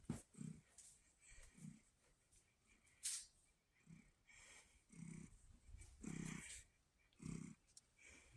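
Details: Pumpkin, a female red tabby house cat kept indoors, purring loudly in October 2023; deep rumbling pulses swell and fade about once a second, with faint clicks and room noise in the background.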